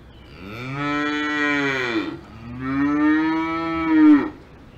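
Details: Alpine farm cow mooing twice in succession, each long drawn-out low bellow lasting about two seconds, the second rising slightly and ending in a louder final push, over a quiet background.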